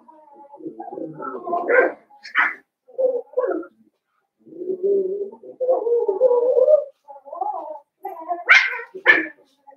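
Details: Young blenheim Cavalier King Charles Spaniels in a home puppy pen, part of a five-puppy litter born at New Year's. Loud, close whines and yelps, including a long wavering whimper mid-way, ending in sharp rising squeals.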